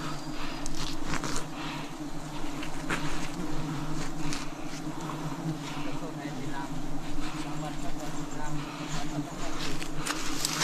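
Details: Wild bees during a 2026 forest honey harvest: a steady, low droning hum from many insects holds throughout, with scattered sharp clicks and a human voice in the background.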